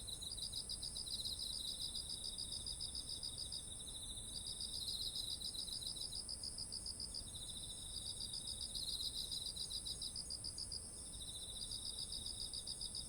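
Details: Autumn insect voices near ripening rice fields, ZOOM H1essential recording: long runs of fast even pulses alternating between two chirping callers, with brief gaps, all set against an unbroken thin high ringing tone and quiet low ambience.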